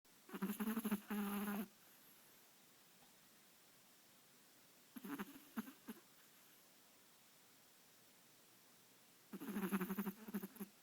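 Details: A sleeping Chihuahua snoring: three separate bursts of low, rattling, buzzy snores, the first and last about one and a half seconds long, with near silence in between.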